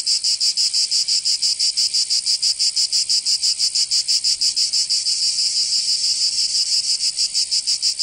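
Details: Cicadas in the south of France, Provence, during summer, producing a piercing, high rasping buzz in strong regular throbs about three each second, steady from start to finish.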